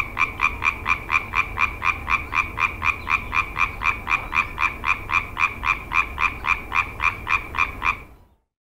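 A tree frog gives a fast, even run of loud, nasal croaks, about four each second, for eight seconds before stopping abruptly.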